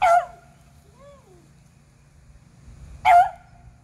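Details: Squirrel-hunting beagles, Athena and Zeus aged eleven and River aged three, April 21, 2020; two loud, bright barks about three seconds apart, a faint higher whine between them.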